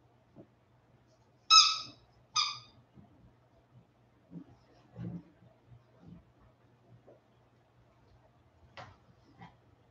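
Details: Two sharp, high whines close together from 47-day-old Westie puppies back inside after an outdoor break, followed by low shuffling, soft thumps and faint movement noises.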